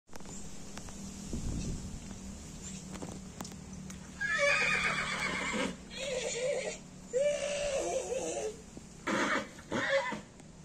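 A horse whinnies in a series of harsh, quavering bursts, each a second or so long.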